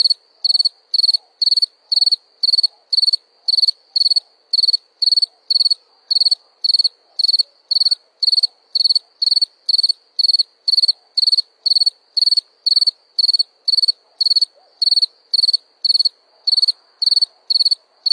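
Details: A cricket chirps in a long, regular series of bright, high pulsed bursts, close to two per second and very even in loudness, with almost no other sound.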